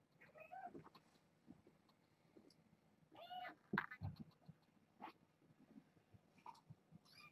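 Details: Young kittens, part of a litter of four females and two males born August 29th, heard indoors: a few short, faint mews, one a wavering half-second cry, amid light thumps and handling noises.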